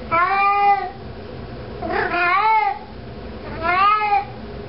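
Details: Domestic cat meowing while walking around indoors carrying a sock; three drawn-out harmonic meows, the middle one wavering and rising then falling, spaced about 1.5 seconds apart in a small quiet room.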